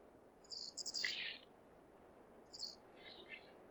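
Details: Male flying squirrel from Hokkaido, wild, giving its breeding-season call to draw a female: a cluster of shrill, rapid chirping notes, then a shorter burst and softer, slightly lower twittering, against a quiet hiss.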